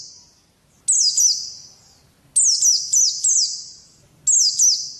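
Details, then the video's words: Pleci white-eye kept as a pet and contest bird, producing three bursts of high, ringing descending chirps, each burst a quick cluster of slurred notes trailing into a fading echo. "Birds Chirping Pleci Master Joss Chirps"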